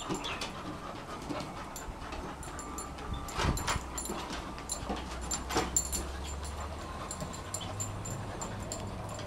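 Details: Two dogs at play, Rolex, a one-year-old female Shar Pei, and Ellie, an eight-month-old Kelpie x Border Collie, trying to grab each other's cheeks; soft panting and scuffling with scattered clicks and thumps over a low steady hum.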